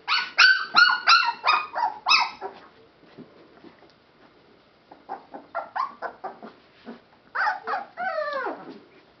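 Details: Rescue Boston Terrier and Pit Bull mix puppies yipping: a quick run of about eight bright, harmonic yelps, a quieter pause of soft whimpers, then scattered squeaks and one wavering whine falling sharply in pitch.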